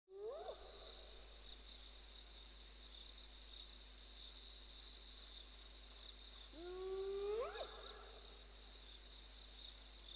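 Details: A hidden spotted hyena calls from the centre of an impala herd in the African bush, giving two rising, whooping calls several seconds apart over a steady insect hum.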